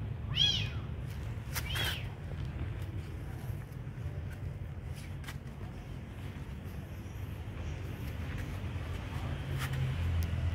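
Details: Beautiful kitten fed by hand, giving two sharp high mews near the start, then quieter with faint rustling and a low background drone.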